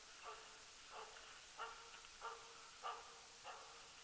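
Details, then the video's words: Rapp, a Jämthund, barking while hunting elk loose in the forest, 2012; six far-off barks evenly spaced about every 0.6 seconds, each short with a slight tonal ring, against faint hiss. "Löshundsjakt med jämthunden Rapp"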